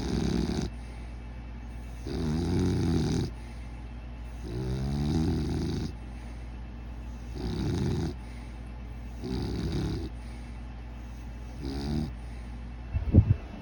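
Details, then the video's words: Sleeping pet dog snoring: loud, rough rasping snores with a low rattling buzz, each lasting about a second and repeating roughly every two seconds, separated by quiet breathing gaps, with a faint steady hum in the background. "My dog snoring"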